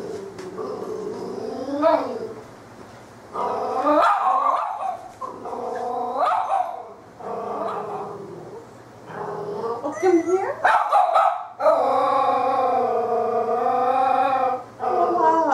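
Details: Female puppy frightened by a fake cat brought into a shop, hiding in the hall and barking: a run of uneven, drawn-out howling barks, some short and choppy, others long and steady, mixed with a woman's voice.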